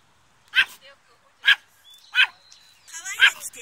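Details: Chihuahua, a pet dog, giving four short sharp barks about half a second to a second apart, the last one rougher with a faint high tone running beside it; a quiet room otherwise.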